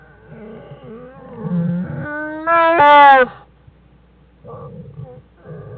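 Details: Black bear cubs Fern and Herbie with their mother Jewel in the den, January 1, 2013, Wildlife Research Institute: wavering harmonic cries that swell into a loud, rising, tightly stacked squall, then softer whimpers.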